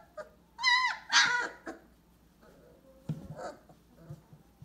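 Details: 22-day-old AKC purebred Weimaraner puppies (2018) give high, quavering whimpers that rise and fall in pitch, broken by brief yips; softer squeaks and shuffling follow as the cries fade.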